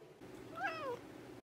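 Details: Pet cat answering its owner indoors with a single short meow that rises then falls, a clear harmonic tone lasting about half a second over quiet room hiss.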